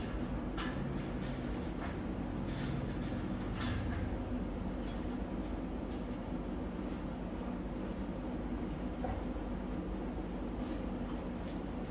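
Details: Continuous low rumbling noise like a passing train or vehicle, with faint clicks and no animal sound audible.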